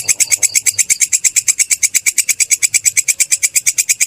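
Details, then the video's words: Kecek grasshopper, also called kerik, recorded as tutor material for cage birds: a rapid train of sharp, rasping clicks, roughly seven per second, evenly spaced and high-pitched, over a quiet background. "Suara belalang kecek/kerik"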